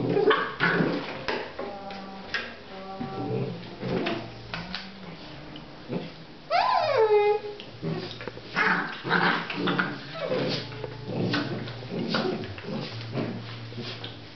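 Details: Basset Artésien Normand puppies, 8½ weeks old, whining and yipping together: overlapping high, harmonic whimpers and short yelps throughout, with one loud, sharply falling yelp near the middle.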